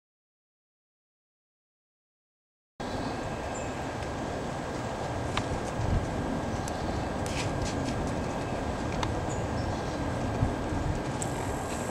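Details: Nearly three seconds of silence, then steady outdoor rumble with a few faint clicks and taps, with no animal voice.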